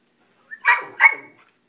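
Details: Browser, a pet Whippet that seems unhappy on camera, gives two short sharp barks about a third of a second apart after a faint snort, with a toy squirrel lying behind him on the floor.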